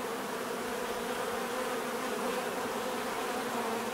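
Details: Short stretch of continuous bee buzzing, a dense, level hum of many wings with steady pitch and loudness.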